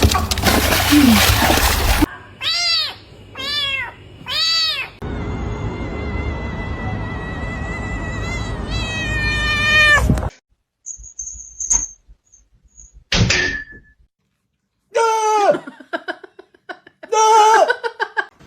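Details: Domestic cat meowing: a run of four short arched meows, then more drawn-out, wavering meows later on, with music playing and brief human voices between the calls.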